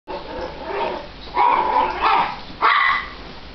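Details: Italian greyhounds Button and Sugar, a seven-pound dog called pure terror, indoors: a low rumbling growl building into sharp, harsh barks and snarls.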